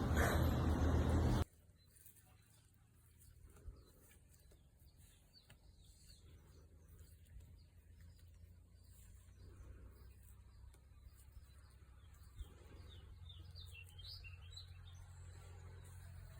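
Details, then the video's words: Cow snoring: a soft low breathing snore repeats every few seconds under faint birdsong, after a brief loud burst at the start when a man speaks Turkish. "Cow snoring"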